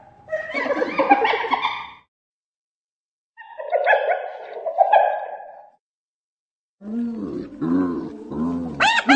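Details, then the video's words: Hyena calling in three separate bursts divided by silences: harsh, rich-toned yelping phrases first, then lower arched grunting notes and a final sharply rising squeal. "Odgłosy hieny, wycie hieny"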